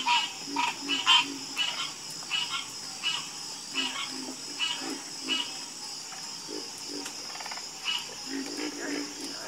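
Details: Chorus of frogs croaking: short, low pulsed croaks overlap with sharper clicking calls at an irregular pace, over a steady high insect-like hum.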